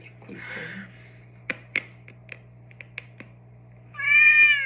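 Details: Indoors, a pet tomcat being massaged on the neck and paws: soft rustling and scattered crisp clicks over a constant low hum, then a loud, bright meow rising slightly and holding steady at the end.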